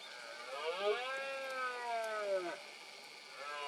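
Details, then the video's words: Red deer stag in Cantabria, 2022, during the rut (berrea) in misty weather: one sustained roar of about two seconds with a hoarse, harmonic-rich tone, and another roar starting at the end. "BERREA 2022 EN CANTABRIA: VENADO ENTRE LAS NIEBLAS."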